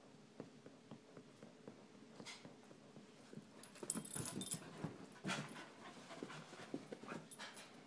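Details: Rapid, faint breathy pants from a dog, one of two pets, a 10-month-old puppy and a 12-year-old chihuahua. The huffs tick along steadily, then swell into a louder, rustly stretch at the midpoint.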